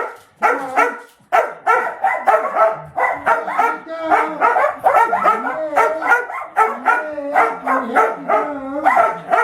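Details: Two pet dogs at home barking after a meal, wanting the door opened so they can look out onto the deck; rapid, high, yappy barks and yips in quick bursts, almost continuous, with a few whiny rising notes.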